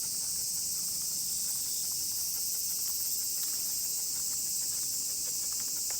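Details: Steady wall of shrill cicada song from many insects during a stroll with a miniature pinscher, continuous and even in loudness, with faint crackles of footsteps below.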